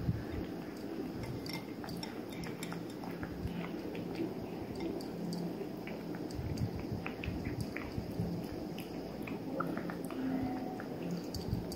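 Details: A 3-month-old male Maine Coon Persian mix kitten chews steadily, with soft crunching, smacking and occasional clicks.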